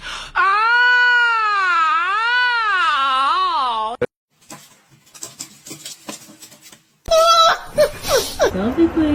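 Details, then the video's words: A domestic cat gives a long, loud wailing meow lasting about four seconds, its pitch swooping up and down in several waves before breaking off; softer clicks and room sounds follow, then a person's voice. "kitten meowing crying"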